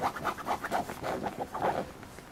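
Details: Papillon puppy giving a run of short, repeated high whimpers and squeaks, about four per second, with soft scratching and panting between them indoors.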